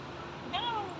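A kitten gives a single short, high meow that rises and then falls away, over steady background hiss.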